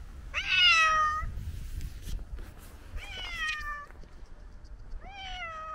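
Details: Hungry old tabby tomcat on a snowy day gives three plaintive meows, the first loud and sliding downward, the next two softer with a slight rise then fall, separated by quiet pauses.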